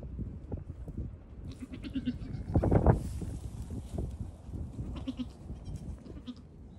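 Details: Friendly goat kids on a farm, one day to a week old, hopping and climbing near the camera; short wavering bleats, one louder near the middle, amid low thumping, rustling and shuffling hooves.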